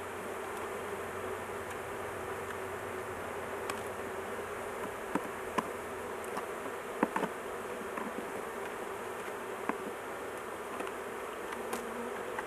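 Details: Steady, thick drone of honey bees from a large hive being worked on, queen held in a cage for protection; scattered sharp taps and clicks over the constant buzzing.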